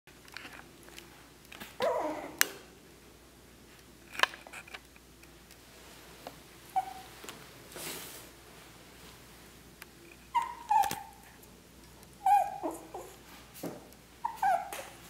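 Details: Male Morkie indoors in a small room, giving short high whines and whimpers, some rising then falling, in scattered bursts near the end, with handling noise and knocks between them.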